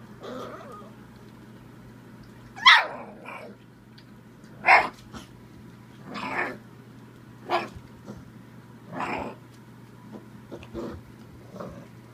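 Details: Bull Terrier pup barking at the camera while playing; spaced, sharp barks and yips come roughly every two seconds over a low steady hum.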